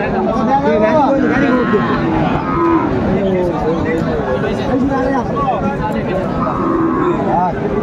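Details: Sahiwal bull calves at a crowded cattle market in Chuadanga, Bangladesh, on 16 January 2025; several drawn-out, bending moos overlap one another amid constant crowd chatter and men's voices bargaining.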